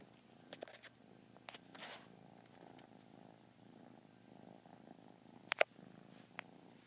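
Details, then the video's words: Lazy kitten giving a soft, low continuous purr, quietly throbbing under scattered light clicks and one sharp tap near the end. "Little yawning purr machine."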